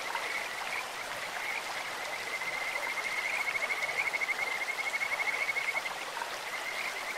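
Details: Kajika frogs croaking in a clear stream: a steady high-pitched trill of rapid pulses that swells from about two seconds and fades near six, over constant rushing water.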